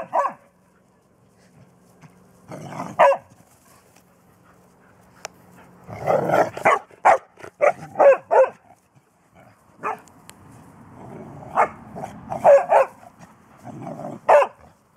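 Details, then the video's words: Three-month-old Bernese Mountain Dog puppy trying to get a 14-year-old mixed-breed dog to play, filmed 7 June 2014; scattered short yappy barks arrive in bursts, with a quick run of barks midway, quiet gaps and a low hum between. "Bernese puppy tries to play with older mix-breed dog"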